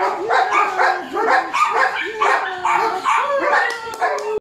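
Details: Three-month-old Border Collie Speedy yelps and barks in fast succession while building drive, each bark ending in a short whining, slightly bending tone, about two calls per second.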